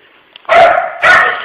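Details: Pooper, a puppy also called Dylan, barks at an empty tissue holder shaped like a puppy while work closes up: two loud, rough, drawn-out barks about half a second apart, with faint room noise between.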